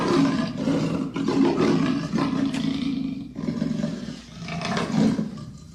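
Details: Amur leopard growling almost without pause, a rasping, rumbling snarl that swells and fades over a few seconds with slight breaks between phrases.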